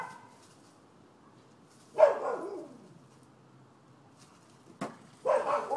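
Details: Nuisance barking from neighbouring dogs at a Florida property, recorded 12/7/15: a single loud bark trailing off, then silence, a sharp click and another bark near the end.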